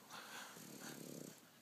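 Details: House-sat French bulldog, happy and smiling, making a soft, low, pulsing snorty grumble for about a second, with quiet breathy texture and a person's voice nearby.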